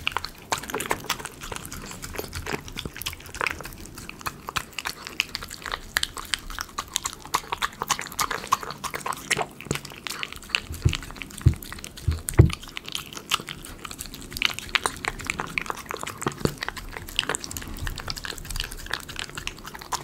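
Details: Long stretch of a Miniature Schnauzer eating chicken pie dog food, captured closely for ASMR: continuous dense crunching, licking and clicking, with a few heavier knocks partway through.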